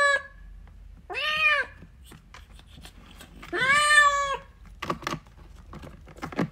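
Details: Kitten wanting its mother utters two clear meows, the second longer and steadier, separated by a pause, followed by soft clicks and rustling.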